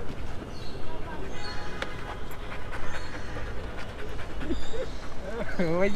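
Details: Bella, a female Rottweiler, on a vet visit for allergy problems and a rash and a vaccine dose: quick, steady, breathy panting pulses several times a second. Voices talk over it and there is a steady background hum.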